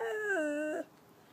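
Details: A rescued Chow-Golden Retriever mix dog howls while conversing with its owner: a short, tonal, moaning howl that steps down in pitch midway and holds steady before breaking off, with a faint music backing.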